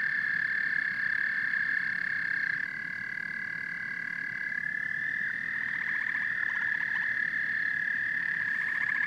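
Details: Massed frog and toad calls form a sustained high buzzing trill, with other callers' shorter rattling trills layered on top in the second half and a soft low croaking texture beneath.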